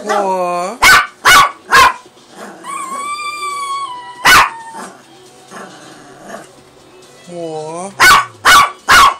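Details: A female pet dog, hungry, lets out bursts of three sharp barks, a single bark, and a long, steady, high whine. A woman's drawn-out cooing and soft talk fill the gaps.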